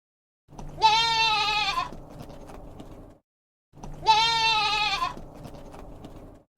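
Two loud, wavering goat bleats about three seconds apart, each a nasal quavering cry lasting about a second, with a start of another at the end.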